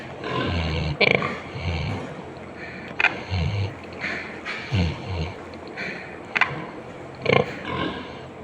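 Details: Sleeping pig snoring: low rumbling snores about every second and a half, mixed with sharp clicks and higher noisy bursts over a steady background hiss.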